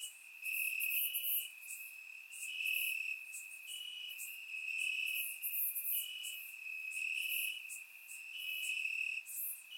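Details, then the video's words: Grass crickets chirping through a warm summer night in Bulgaria; unbroken high trill from many insects, waves of louder pulses rising and falling, no birds or people. "Cricket Sounds - Crickets Chirping at Night"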